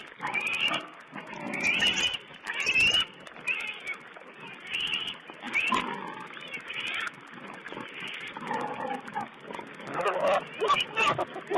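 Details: Wild boar piglets filmed by a wild pig camera in mid-April 2010; a run of short squeals and grunting squeaks in quick, uneven bursts, some rising and whistle-like, over a steady hiss.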